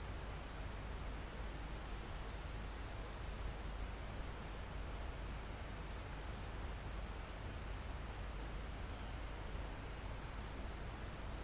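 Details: Crickets in a calm forest almost at the top of a mountain, recorded live: high, thin, steady trills in bursts of about one second, repeated with short gaps, over a constant rush of wind through foliage and trees.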